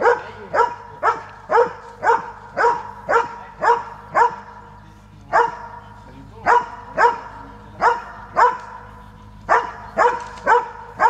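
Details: Transylvanian Hound barking steadily: about twenty sharp, harmonic barks in quick succession, roughly two per second, with a brief pause near the middle before the barking resumes.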